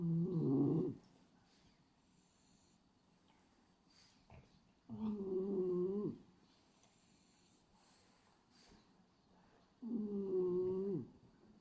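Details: Sleeping male French Bulldog Hachi, pied black and white, snores steadily with his tongue flapping. Three throaty, buzzing breaths, each about a second long, repeat every five seconds in a quiet room.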